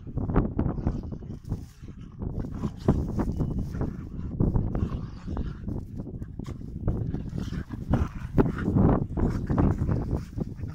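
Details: Dogs playing at fighting, with no animal harmed. A steady, deep, gravelly growling runs throughout, broken by quick snaps and short huffs in an irregular, fast rhythm.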